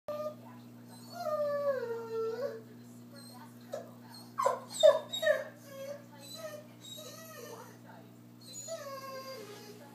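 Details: Vizsla, a pampered dog indoors, whining for its owner to stand beside him while he eats: long high falling whines and short yelps repeated over ten seconds, with a person's voice speaking in between.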